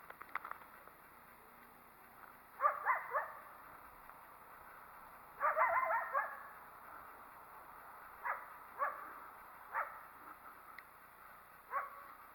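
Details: A coyote that seemed not to like the person nearby gives bursts of sharp, harsh barks in quick clusters, then single yelping barks spaced about a second apart, over a steady background hiss.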